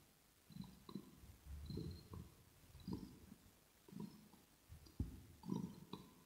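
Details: Rosetta, a pet kitten, purring in ear-to-ear ASMR recorded indoors; low rumbling bursts swell and fade roughly once a second, mixed with soft clicks and smacking sounds.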